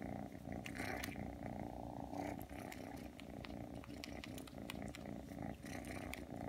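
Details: Aki, a three-month-old Ragdoll kitten, came when called and is kneading and suckling indoors: a steady, deep rumbling purr under frequent sharp wet smacking clicks.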